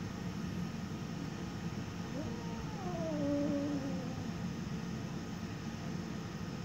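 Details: Ten-week-old Siberian kitten Gizmo growling at her own reflection, which she sees for the first time: one rising then falling tonal moan near three seconds, set against constant low background noise.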